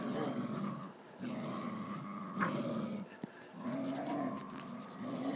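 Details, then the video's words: Deep, grinding growls from two wild dogs fighting over a tiger, coming in sustained rumbling stretches broken by short pauses, with a faint sharp snap in the middle. "2 wild dogs fighting over a tiger"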